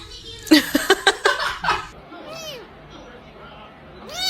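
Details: Cat giving two short, arched meows, spaced about two seconds apart, each rising then falling in pitch. They follow a burst of human laughter and chatter in a quiet indoor setting.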